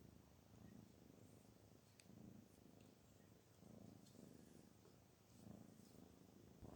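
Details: Garfield the cat purring while relaxed and happy; a soft, low, continuous rumble that swells and fades in slow breathing cycles about every one and a half seconds, with a few faint clicks above.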